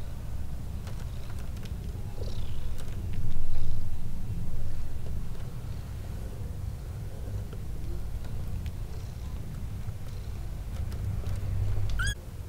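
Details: Two newborn kittens, calm and growing in a basket, purring: a loud, dense low rumble running steadily throughout with a regular pulsing beat, and a short high chirp near the end.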